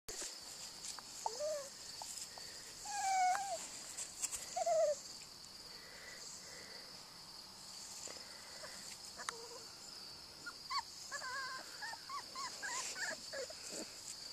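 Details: Airedale Terrier puppy, Little Miss, playing with her mother, Cricket: high, whiny squeals with bending, wavering pitch at one to five seconds, then a burst of short squeaky yips near the end, over a steady high insect buzz.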